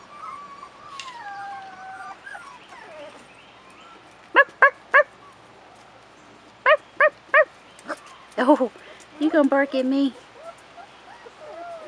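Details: Four-and-a-half-week-old Rottweiler pups on their first trip outdoors: a long, falling whine opens, followed by sharp, brief yips in pairs and triples, then a busier tangle of whimpering cries toward the close.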